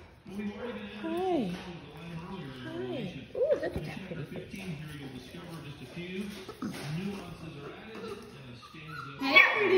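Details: Litter of puppies almost four and a half weeks old at play with their toys: a steady stream of wavering, rising and falling whimpers and yips overlapping, while a woman talks softly to them.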